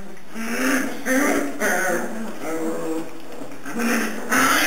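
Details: Morning at home with puppies three and a half weeks old: repeated low moaning whimpers, each lasting under a second, come in an uneven series with brief pauses, over a faint steady background hum.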